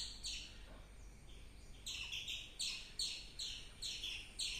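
A squirrel gives sharp, high chirps in a quick, uneven series, about two or three each second.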